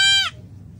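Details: Hungry goat responding when called: a short, abrupt bleat cut off after a fraction of a second, bright and nasal with a falling tail, low hum behind it.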